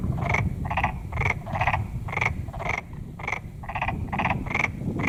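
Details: Steady series of rattling, pulsed croaks from a black-spotted pond frog, roughly two per second, each a brief grating burst, with low background rumble throughout.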